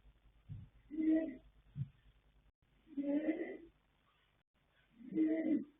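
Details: Three long, rumbling snores about two seconds apart from the sleeping colt foal Yanta, born 21 January 2026 to Fast Force and Pink Blossom, with two faint low thumps between the first breaths.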